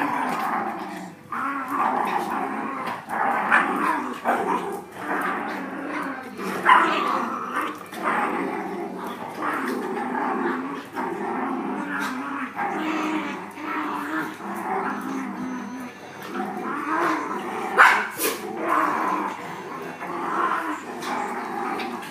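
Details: Dogs playing together, trading rough, rumbling growls almost without pause, rising and falling in loudness, with a few sharper yaps and whiny notes breaking through near the middle and end.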